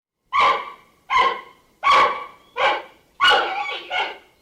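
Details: Giant panda giving five short, harsh, bark-like calls with a strong harmonic core, each one sharp at the start and quickly fading, spaced a little under a second apart. The last two run close together. The background is quiet.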